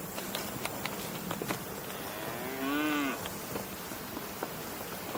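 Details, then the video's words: One short, nasal cow moo bending up and then down, heard midway through steady outdoor noise with scattered clicks. "Cow Mooing Sounds"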